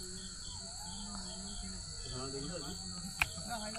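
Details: Crickets keep up a steady, high-pitched trill in the evening at a rural village resort near Kolkata, beneath a man talking over tea and snacks.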